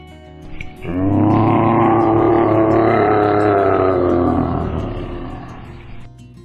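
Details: Lynx giving a single long, drawn-out harmonic call of about five seconds, steady at first, then easing and falling away at the end, over a faint constant background hum.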